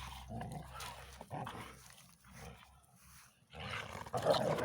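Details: A Belgian Tervuren refusing to give its ball to a bull terrier cross friend grumbles and growls in rough, uneven bursts, low and throaty with breathy grunts between.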